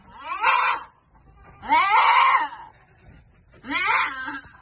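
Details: Goats at a Philippine farm during vitamin dosing; three loud, strained, harmonic bleats about one and a half seconds apart, the middle one longest and wavering.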